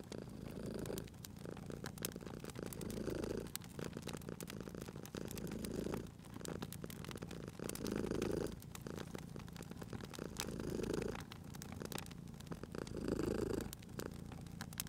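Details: Cat dozing by a crackling fire, purring continuously: a deep pulsing rumble that rises and falls in slow breath cycles about every two and a half seconds, overlaid with frequent crackles and pops from the fireplace.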